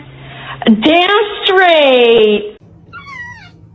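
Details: Domestic cat indoors giving a long, drawn-out meow that rises then slowly falls over nearly two seconds, followed by a brief higher, wavering mew; a low hum sits underneath.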